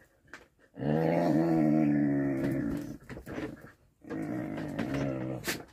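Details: Whippets play fighting at home, trading love bites and kisses; a sustained, steady growl of about two seconds, then a second growling burst after a brief pause, recorded in a small room.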